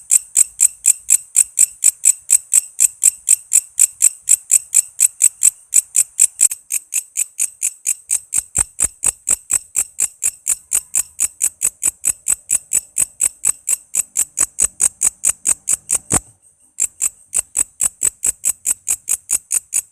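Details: Walang kece katydid singing vigorously as tutor material for songbirds such as murai, lovebird, cucak ijo and kacer. A long, steady train of sharp, high ticking chirps repeats roughly twice per second, broken once by a short silence.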